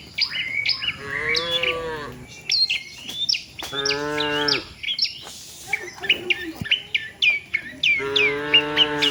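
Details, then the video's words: Tame village cows on the way to the shed with the herd; three harmonic moos spread across the recording, one breaking off at the end, over constant bright birdsong. "suara sapi moo,perjalanan sapi lembu jinak menuju kandang bersama kawanannya"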